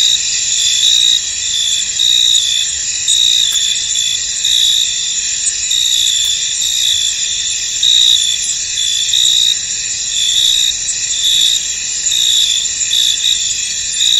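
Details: Steady high-pitched insect chorus of crickets in a misty field, with louder chirping trills recurring about once a second over a constant shrill background throughout.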